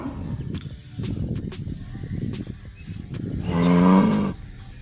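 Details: Village cows in a herd: low rumbling and shuffling noise, then a loud, steady moo rising slightly near the end, with background music throughout.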